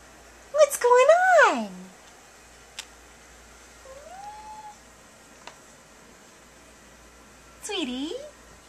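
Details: Domestic cat giving loud, drawn-out meows indoors: a long wavering cry that bends down at its end, a softer rising meow, then another falling, whining meow, with a couple of faint clicks between.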